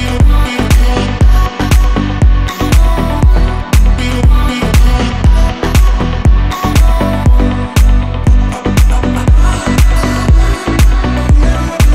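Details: Loud house-style dance music driven by a regular four-on-the-floor beat of about one kick per second, with no animal sound.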